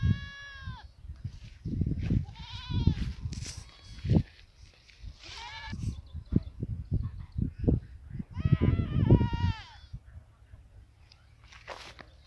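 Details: Goats eating grass; several wavering, nasal bleats rise above steady chewing and rustling of grass, repeated every couple of seconds, with a faint higher bleat near the end.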